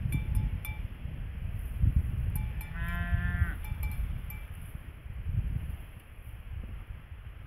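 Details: A cow grazing in a field beside her calf, wearing a yellow bell, gives a brief, nasal, bleating moo among clinking cowbell notes and heavy wind rumble.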